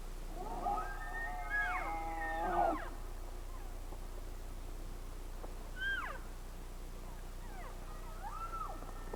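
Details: Rocky Mountain elk heard live, several high whistled squealing calls with harmonic stacks near the start, then shorter rising-falling whistles later, over a steady low hum.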